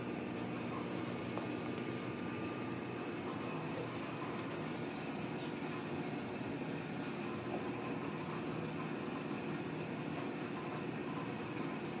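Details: A steady indoor hum like an air conditioner or fan runs throughout, with faint mechanical noise and no animal sounds.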